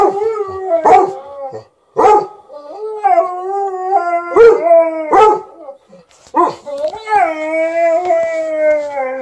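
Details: A 13-year-old Golden Retriever howls and moans in long, wavering, tonal phrases broken by short gaps, vocally demanding more petting while a Malamute objects; a few sharp sounds cut in between the howls.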